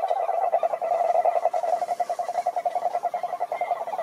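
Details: Toad giving a fast, steady pulsed trill at a middle pitch, the rapid beats running without a break for the whole stretch.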